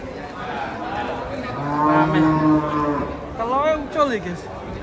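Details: Agitated cattle being unloaded from a truck; several long, low, harmonic moos overlap, some rising and wavering toward the end, over crowd chatter and voices.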